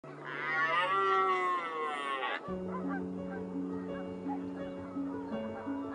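A red deer gives a loud, drawn-out call that rises and falls, followed by music.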